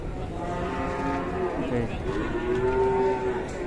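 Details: Fierce cow that no buyer has yet bid on, described as risky to buy, lets out a prolonged harmonic moo that swells and steadies toward its end, against a noisy background.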